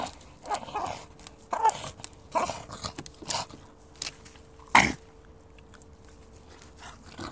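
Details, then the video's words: Bulldog, a female, playing with fallen trees in woodland: rough breathy snorts and huffing bursts come irregularly, about every second, one louder snort near the end, then quieter rustling. "Bulldog plays in the Wood, funny noise"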